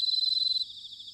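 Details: Close bell cricket in autumn, recorded at Sanuki, Chiba, Japan: about a dozen crisp, high ringing pulses in quick succession, then the note drops away leaving a fainter cricket chorus.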